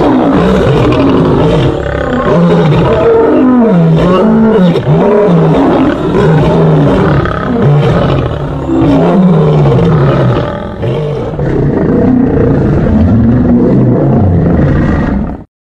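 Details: Lions fighting, a continuous loud, heavily compressed stretch of deep growling roars with undulating low tones, snarls layered throughout, briefly dipping near eleven seconds before ending abruptly.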